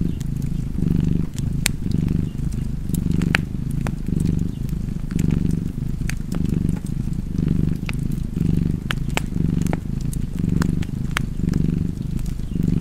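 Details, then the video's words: Continuous low cat purr, pulsing in breath-length surges roughly every second, heard over the snapping crackle of a burning fireplace. "Cozy Purring Cat ASMR"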